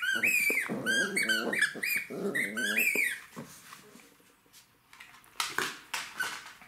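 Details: Jack Russell terrier puppy playing with toys indoors, giving a run of low, harmonic growls mixed with higher whiny tones over about three seconds, then quieter rustling and toy clatter.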